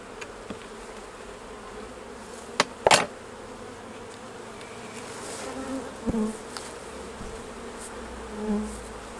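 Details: Hive of honey bees during a honey harvest, a continuous low buzz from the colony broken by several sharp knocks and clatters of hive equipment, one loud double knock near three seconds.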